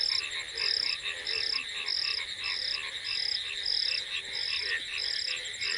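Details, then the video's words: On an evening after heavy afternoon rain, beside a brim-full pond and flooded fields, frogs call nonstop in a dense chorus, with short high bursts about every half second, as if the monsoon had fully arrived; crickets also call. "ব্যাঙ তো কন্টিনিউ ডেকেই চলেছে, ওরা ভাবছে এখন ফুল বর্ষা এসে গিয়েছে, মাঠে জল জমেছে।"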